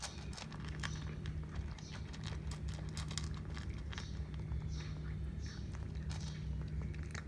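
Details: Cat eating indoors, with dense crunchy chewing and biting clicks in quick irregular bursts throughout, over a steady low electrical hum in a small room.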